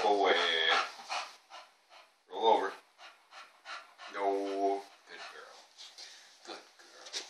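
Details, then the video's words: Elsa, a pet bulldog, making crazy noises likened to an ewok: drawn-out harmonic moaning grumbles near the start, at about two and a half seconds and around four seconds, with softer huffs and snorts between, indoors. "Bulldog makes crazy noises!"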